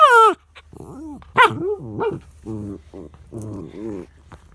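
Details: Charlie, a dog protesting because his son is lying over the treat, lets out a high yelp followed by a chatter of wavering whines and throaty, talk-like grumbles in quick succession.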